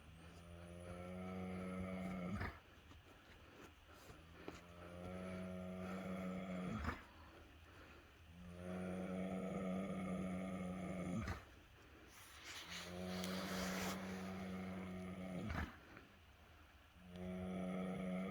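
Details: Sugar, a very tired pregnant Gypsy Cob mare, snoring: long droning low-pitched snores with a steady humming tone, each lasting about four seconds and broken by short pauses for breath, with a brief rushing noise midway.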